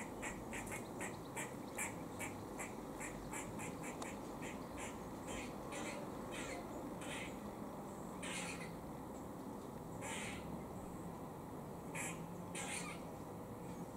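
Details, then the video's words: Squirrel in Cambridge, UK, 17 October 2020, giving a warning noise as it eats: a fast run of sharp, evenly spaced chucks that slows into fewer, longer, buzzier notes, over steady background noise. "Funny Squirrel makes warning noise while eating"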